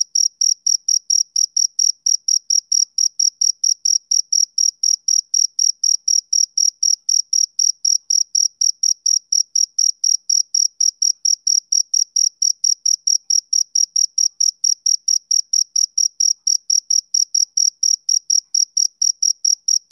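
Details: Chirping of a male cricket: bright, high-pitched pulses repeated evenly about four times per second, continuous and unbroken, with no background noise.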